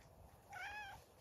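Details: Farm cat on a regenerative farm in County Kilkenny, Ireland, greeted while rams are being checked; one short, soft, slightly rising-then-falling meow, quiet and distant.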